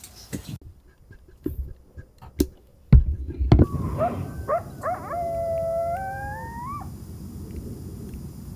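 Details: Coyotes (Canis latrans), several howling and yipping together at night at Lake Mead in winter, their wavering high cries overlapping and sliding up and down.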